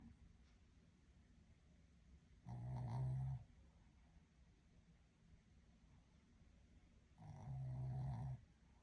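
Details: A sleeping Shih Tzu gives low, rattling snores, each a buzzy, throaty rumble under a second long and roughly five seconds apart, with a quiet indoor hush between.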